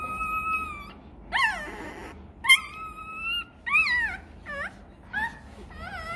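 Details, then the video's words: Crying for milk, a hungry Rottweiler pup lets out a steady high whine, then short yelps and wavering whimpers that rise and fall, roughly seven cries with uneven spacing. "Chó Kêu Đòi Sữa: Nghe Sao Thảm Thiết! Hungry! Where s Milk?"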